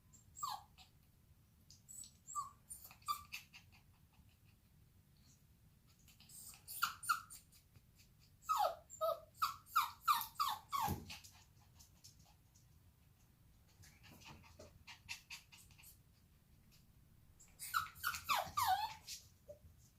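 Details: A female Bichon Frise puppy, from recordings collected up to one year old, whines in high, thin bursts, pausing between clusters of quick cries.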